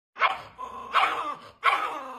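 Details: A pinscher, caged, gives three sharp, high-pitched barks, each trailing into a brief whine.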